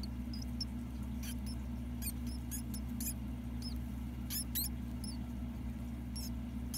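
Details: Ten-day-old mouse pups squeaking while being fed by their mother, giving short very high chirps and squeaks in scattered clusters over a loud steady low hum.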